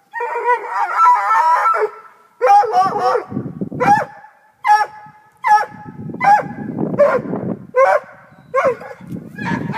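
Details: Black and Tan Coonhound having climbed a tree after a cat, giving a series of short, ringing baying calls roughly once a second, between them rough scraping and rustling sounds.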